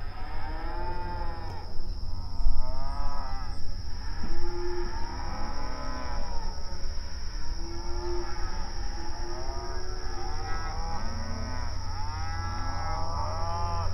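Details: Several open range cattle on an outdoor pasture call back and forth while grazing, overlapping arched moos of varied pitch, some short and some drawn out, against a low continuous rumble and faint high tone.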